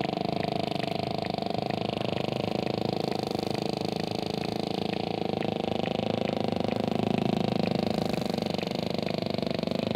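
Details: Sperm whale making clicks and low grunts: a steady train of sharp, evenly spaced clicks, roughly three or four per second, over a constant dense low rumble and hiss throughout.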